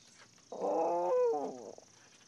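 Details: A dog howling: one smooth, tonal note of just over a second, held steady and then bending downward near the end, rich in harmonics, with quiet background before and after.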